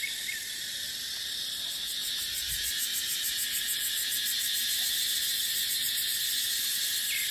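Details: Cicadas in a dry dipterocarp forest in the dry season: a steady, dense, high-pitched buzz with a faint shimmering pulse running through it, wind softly in the background.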